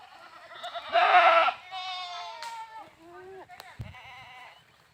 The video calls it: Goats Videos Funny Goat Sounds Videos Funny Goat Videos